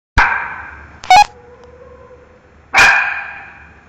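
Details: Miki the dog barking at a mango: two loud, sharp barks about two and a half seconds apart, each trailing off with an echoing decay, plus a brief high squeak between them.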